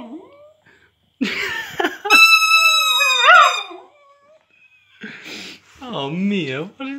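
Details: Mia, a female Cavalier King Charles Spaniel × West Highland White Terrier cross, sings a sustained, bright, wavering howl between bursts of human speech, a noise she had never made before.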